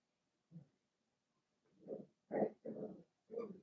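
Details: Indoor pen with seven-week-old blenheim Cavalier King Charles Spaniel puppies from a litter of five. A low yap is followed by four rough, whimpering barks in quick succession, growing stronger toward the middle.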